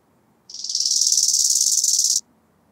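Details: Chorthippus biguttulus, the bow-winged grasshopper, singing at Hanfeld, Germany, 19 September 2021: a single stridulated phrase of about 1.7 seconds, a fast buzzy series of pulses that grows louder in its first half, then stops abruptly.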